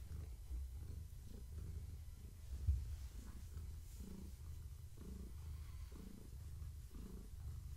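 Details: Pregnant long-haired tabby Gaia purrs under petting in the evening. A deep continuous rumble with a slightly louder pulse roughly once a second, one soft knock midway.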